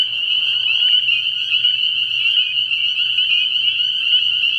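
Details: Night chorus of spring peepers at a frog pond early in the year, a relentless high-pitched ringing of overlapping peeps, with a faint lower raspy trill fading out in the first second.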